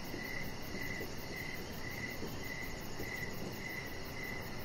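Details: Evening cricket chorus near a deck, regular short chirps roughly every half second with a thin high-pitched trill running underneath, set against steady low-frequency rumble.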